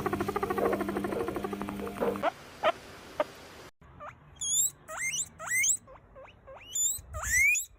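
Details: Domestic guinea pig squeaking: after a stretch of music, a series of short sharply rising whistled squeaks, repeated irregularly several times a second.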